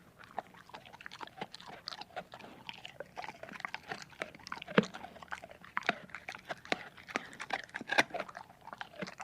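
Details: Domestic dog at its food indoors, crunching and chewing with sharp bite clicks about every few seconds over a steady low rustle of mouth and bowl noise.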